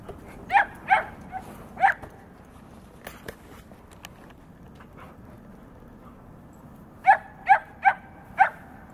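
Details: Newfoundland and Great Pyrenees, Ruger and Missy, playing together; bursts of three or four quick barks open and close the stretch, separated by a quiet gap with soft clicks and rustling.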